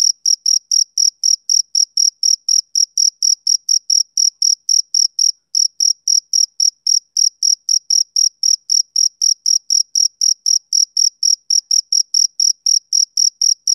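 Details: Male cricket chirping on a summer evening: a steady run of high, pure pulses about four per second, each with a faint upper harmonic, one brief pause near the middle, no other sounds.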